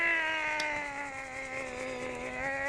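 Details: Pomeranian Shih Tzu puppy, a female that hates baths, wet after a bath while being dried; a long steady high whine with rich harmonics, sustained nearly three seconds with a slight dip in the middle.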